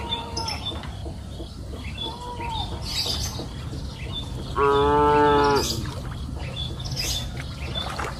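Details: Grazing cows on a green pasture hill in the afternoon, one loud, rich, droning moo near the middle, with quieter faint lows and soft bird chirps around it in the rural field ambience.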